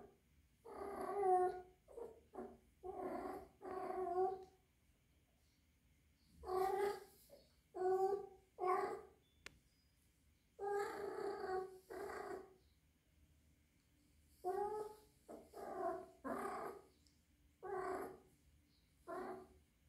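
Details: Three-month-old rescued kitten, female, indoors with other adult cats and possibly in heat: a long run of insistent, harmonic mews and yowls, in short clusters separated by brief pauses.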